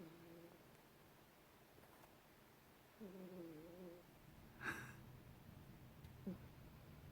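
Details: Sleeping pet cat snoring indoors: a soft, low, layered rasping snore swells for about a second midway, followed by a short sharp click and a brief quieter snort near the end, over a faint room hum.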